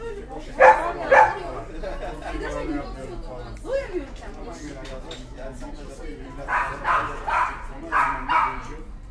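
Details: Rottweiler puppy Pumpkin, a family pet in its first six months, gives two loud barks, then people talk, then a run of four quicker barks near the end.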